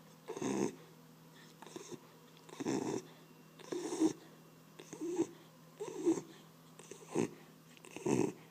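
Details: A sleeping Bull Terrier snores in rough, rasping bursts, each breath roughly every two seconds; the owner says it never stops snoring and sounds like a little pig.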